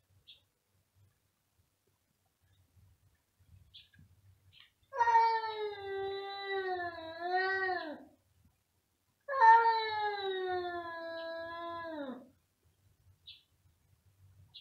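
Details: Domestic cats meowing very loudly indoors: two long, drawn-out harmonic meows of about three seconds each, wavering then falling in pitch at the end, separated by a short pause, with faint low hum and small clicks between.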